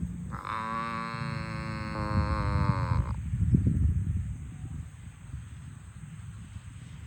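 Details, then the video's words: A farm cow being herded to the barn gives one drawn-out moo lasting about three seconds. The note is steady and rich, then lifts slightly at the end before cutting off, over a low rumbling background. "Herding Farm Cows to the Barn - Funny Moo Sounds"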